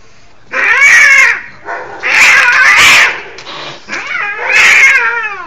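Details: Cats in a fight yowling: three loud, drawn-out harmonic wails, each about a second long, wavering up and down in pitch with short gaps between them; nothing else clearly heard.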